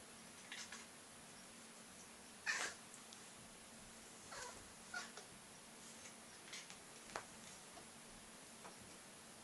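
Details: A Maine Coon cat makes predator noises: brief, breathy chirps and clicking bursts at irregular intervals, with one slightly louder squeak standing out. Between the bursts only a low room hiss is heard.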